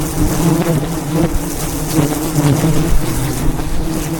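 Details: Thousands of wild bees around a giant hive high in the mountains during a honey harvest; a dense, loud, continuous droning hum with steady low buzzing and no pauses.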